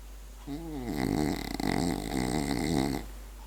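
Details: Sleeping French Bulldog named Berti lets out one long snore of about two and a half seconds, starting with a wavering nasal whine that slides down, then turns into a steady raspy rattle.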